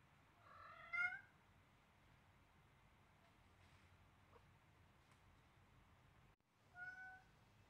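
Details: Blue-eyed Siamese kitten Selena, seven weeks old, meowing loudly as she plays with a baby duck: a bright, slightly wavering meow, faint clicks and shuffles, then a second shorter meow several seconds later.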